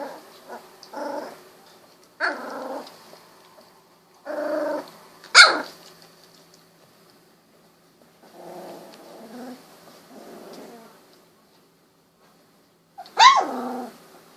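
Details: Golden Retriever puppies aged 16 days, eyes just opened, wiggling and walking; scattered short growls separated by silences, broken twice by a sharp high yip or bark.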